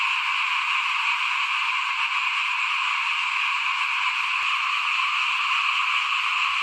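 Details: Outside a house at rice sowing season in 2021, a thick frog chorus trills on without a break, shrill and even, with a single sharp tap heard briefly.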